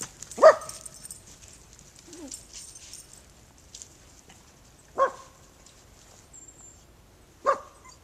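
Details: Puppy meeting a new neighbour, giving three single sharp barks spaced several seconds apart, the first loudest, with quiet background and a faint high hiss.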